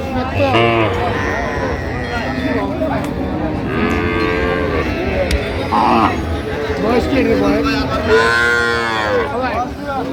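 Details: Cows and calves at Ambari haat, a livestock market, on 29/9/25: several drawn-out lowing moos with curving, bending tones, a louder one near the end, over constant crowd chatter and market bustle.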